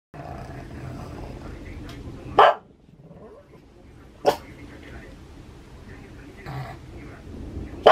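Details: Pug named Maria barking at thunder in Saitama, Japan, on 6 May 2020: three sharp, isolated barks spaced roughly two seconds apart over a low, steady indoor background rumble.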